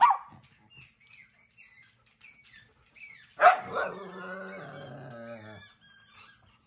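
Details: Pet dogs at home, stopping their owner from watching a show: faint high squeaks at first, then one loud bark that stretches into a wavering, moaning whine for about two seconds.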